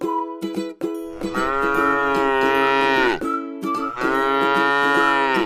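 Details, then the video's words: ['Tame cow grazing in a rice field: two sustained, resonant moos that sag in pitch as they end, after short clicks, with a constant tonal hum underneath.'] "suara sapi lucu jinak yang sedang makan rumput di ladang sawah"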